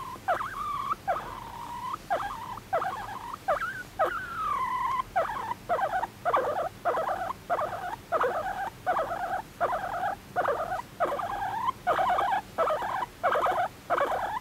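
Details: Pet guinea pig, adopted at one and a half years old in May 2019, giving an affectionate, attention-seeking voice: a steady run of short squeaky calls, several each second, some rising or bending in pitch, with brief gaps between them.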